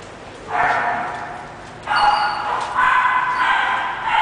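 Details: English bulldog puppy bred for sale, barking in short bursts of broad, harsh sound roughly every second, with a person's voice faintly audible.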